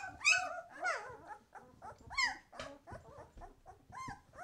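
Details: Whining, squealing White Swiss Shepherd pups aged twelve days, eyes opening, give wavering cries that slide up and down, a loud shrill squeal opening the run, then shorter whimpers.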